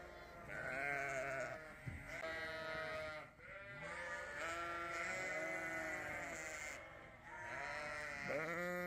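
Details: A Dorset ewe lamb wakes from a sound sleep and looks for her mother to feed. She calls with repeated quavering bleats that run almost continuously, some rising at the end. No other clear sounds are present.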